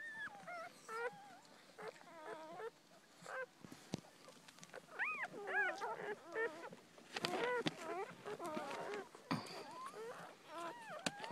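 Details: Newborn Miniature Dachshund puppies, born September 11th, a litter of two females and two males; high squeaky whimpers and wavering cries overlap in quick succession, several puppies calling together with soft background noise.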